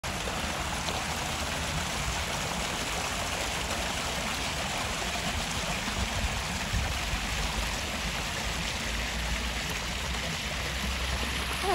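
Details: Continuous rushing of a stream or trickling water fills the recording, with no animal sounds heard.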